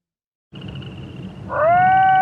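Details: Wolf howl starting after a short stretch of low rumbling background noise: a smooth, steady tone swells in at mid pitch with clear overtones and holds level until it cuts off.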